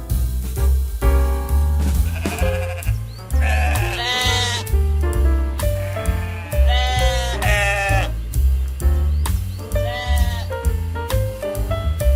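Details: Sheep bleating three times, each a long quavering, harmonic-rich bleat, roughly three seconds apart, over loud continuous music with a steady bass beat.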